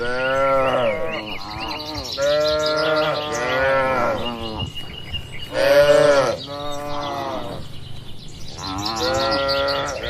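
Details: Cattle herded on spacious green fields, grazing at will: a run of repeated resonant moos, several back to back and one louder in the middle, with light birdsong over a quiet rural background.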